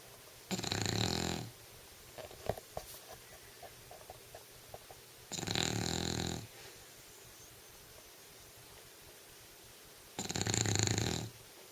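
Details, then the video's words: Pet English Bulldog snoring while asleep indoors: three long, rasping, breathy snores about every five seconds, each lasting around a second, with quiet clicks and small mouth noises between them. "English Bulldog Snoring"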